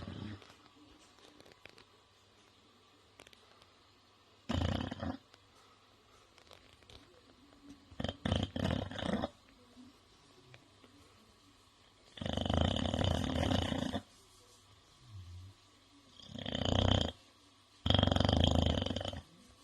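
An English Bulldog snores in loud, rasping bursts, each breath spaced a few seconds apart.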